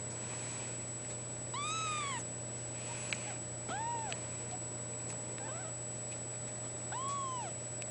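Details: Male blue point bicolor Ragdoll cat from a cattery, meowing indoors: three drawn-out arched meows, the first and last longest, with a short one between, over a steady low hum.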